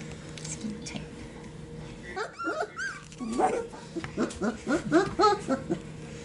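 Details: Young Sheepadoodle puppies in their pen, Pepper's pup born 4/13/20 with two littermates from Coco, filmed 5/7/20; rising whining squeals, then a fast series of short, bent yips, several each second.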